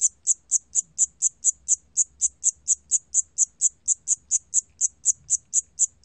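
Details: Rapid, regular chirping of a Siamese cricket, each note a sharp high-pitched pulse, roughly four per second, over a quiet low murmur; from the National Institute of Biological Resources, 2020.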